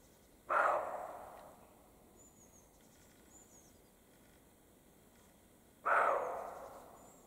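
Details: Two loud, rasping dog-like barks from European roe deer in the Carpathian mountains, mating season, separated by about five seconds of quiet with soft high bird chirps between.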